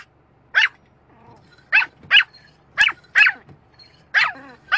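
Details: Barking dog reacting to a windscreen wiper, six or seven loud, sharp barks spaced roughly every half second to second, some in pairs, with faint whiny tones and a low hum between them.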